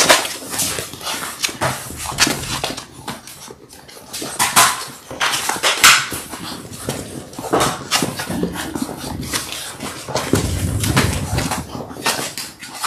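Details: Six-week-old Labrador Retriever puppies, a litter of six born January 18, 2022, indoors together; scattered short whimpers and small yips break through steady rustling, scratching and thumping of the pups moving about.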